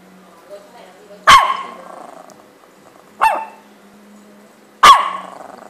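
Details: Small pet dog barking in sharp single barks, three loud barks spaced about two seconds apart against a quiet indoor background with a low steady hum.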